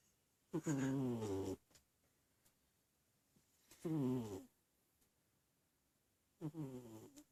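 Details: Cat asleep and snoring, giving three throaty, rattling harmonic breaths roughly every three seconds, the first the longest, over a very quiet indoor background.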